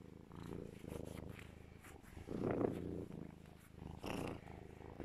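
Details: Pet serval Legolas purring loudly while held and cuddled by his owner; a continuous low rumble in breath-length pulses, with a brief higher chirp-like note near the middle.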